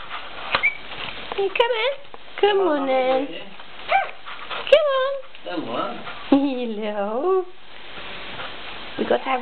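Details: Baby Cocker Spaniel puppies waking up indoors give a run of high, squeaky whimpers and short yelps, each arching up then sliding down, several in quick succession, while a person talks quietly nearby in a small room.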